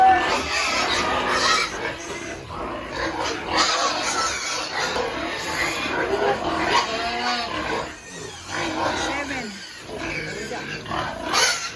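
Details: Pigs at a family farm in Penablanca, Cagayan, Philippines, during weaning of piglets from the sow; repeated grunts and short squeals overlapping in a crowded pen, with a man talking and steady background noise.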